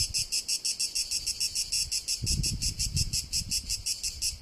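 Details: Tuscany cicada, Italy: a sizzling high buzz throbbing in regular pulses about three per second, with a brief burst of low rumble in the middle.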